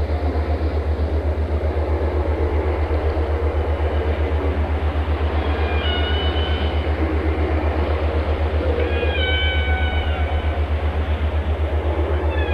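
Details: Whale calls rising out of a steady engine-like throb: faint tonal glides around 6 seconds, then a stronger harmonic, descending phrase near 9 seconds, with the low pulsing continuing about four times each second.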